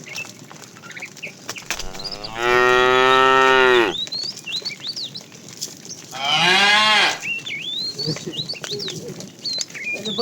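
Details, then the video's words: A fat cow calling the female while a herd of tame cows is driven along in the afternoon: two long, rich moos about four seconds apart, with birds chirping and twittering throughout. "The funny sound of a fat cow calling the female"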